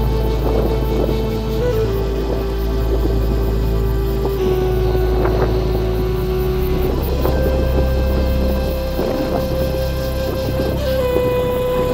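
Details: Sustained background music with a wavering melody line over heavy wind noise and low rumble, and no lion or other animal calls.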